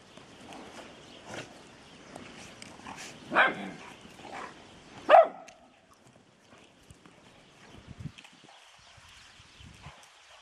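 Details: Dobermann puppy named Vega, kept from joining the bigger female dogs, gives two loud, sharp barks about two seconds apart, then falls quiet amid soft rustling and scattered footstep-like knocks.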